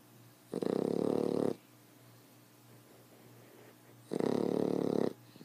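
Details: Loud snoring from a 10-week-old female fawn Boxer puppy, two long rough rasping inhalations about three and a half seconds apart, each lasting roughly a second, quiet room between.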